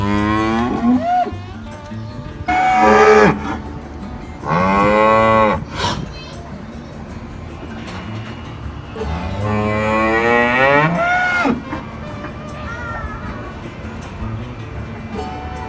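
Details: Real farm cows moo repeatedly: short deep moos, a loud bellow, then a longer moo that climbs in pitch and falls away, with soft background music and low rumbling throughout.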